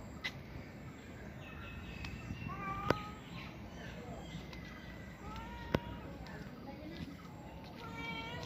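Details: Short, thin cat meows come every couple of seconds, answering a person who speaks to it, with two sharp clicks and a low background hum.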